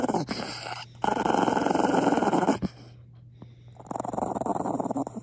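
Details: An angry Maltese dog growls after being kissed. Two rough, buzzy growling bursts come in a quiet indoor setting: the first lasts about a second and a half, and after a short pause a second rises again and continues to the end.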